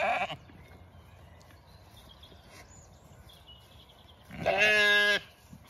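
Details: Zwartbles hoggetts arriving excited in a fresh field with much more grass on a regenerative farm in County Kilkenny, Ireland; quiet field background, then a single loud, harmonic bleat lasting under a second near the end.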